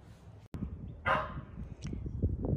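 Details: A Shetland sheepdog indoors barks as its owner walks out to the mailbox, heard from the street; one sharp, loud bark over a steady low rumble.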